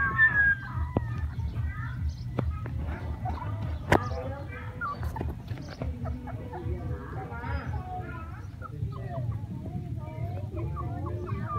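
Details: Several playing puppies cry in rapid, thin whimpers, wavering and bending in pitch, coming in dense clusters over a constant low hum with a few clicks and thumps.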